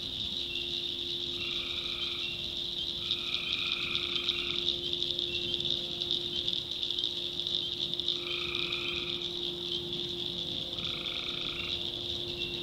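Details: Night chorus of tree frogs from the North Carolina backwoods. Four separate one-second buzzy calls stand out, two close together early and two later, above a continuous shrill drone of frogs and crickets.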